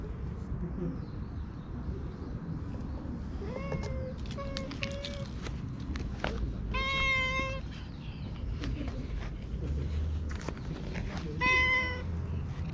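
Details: Chatty stray cat at a shrine answers while being petted and patted, GoPro recording: a string of short chirpy meows, then a longer meow and a final clear meow, over steady low outdoor rumble and handling noise.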